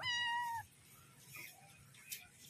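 A Persian kitten gives a single high, thin meow that holds steady, then dips slightly at the end.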